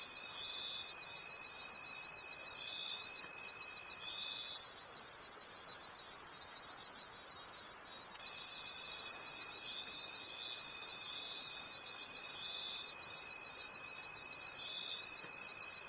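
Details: Crickets singing together in a night forest: a thick, unbroken high-pitched trill with gentle regular pulsing, over a faint steady whine that stops for a few seconds and then resumes.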